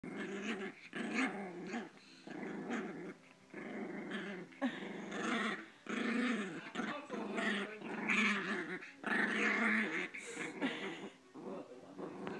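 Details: Chihuahua playfully attacking a person's sleeve, growling almost without a break: rough, buzzy growls in long bursts of one to two seconds with short gaps, some rising into higher snarling tones.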